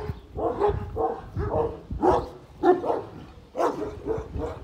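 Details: Young Kangal, one year old, confronting a giant dog on a kangal farm; steady run of deep, hoarse barks, about eight in under five seconds, each short and punchy with brief gaps.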